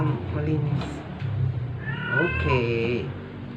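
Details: Sick, dying stray cat being force-fed to survive gives a drawn-out, wavering meow late on, with layered upper tones bending up then down. Low human voices and handling noise fill the opening.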